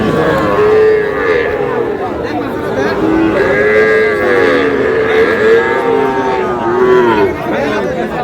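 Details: Sahiwal-breed bulls and calves traded at the start of market day at Aftabganj hat, Dinajpur, 11 July: several arched, wavering moos follow one another over about eight seconds, with crowd talk and shouted prices throughout.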